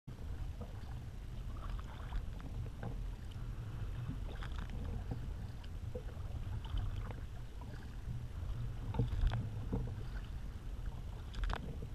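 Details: Low rumbling water and wind noise from a small boat on the water, with faint scattered knocks and no clear animal calls.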